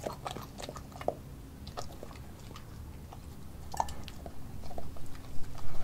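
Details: Nala, an Australian Kelpie German Shepherd mix dog, eating raw beef liver, beef heart, chicken feet and chicken thigh, filmed with a Nikon D5600; irregular wet chewing and crunchy bites, rapid and uneven, louder toward the end.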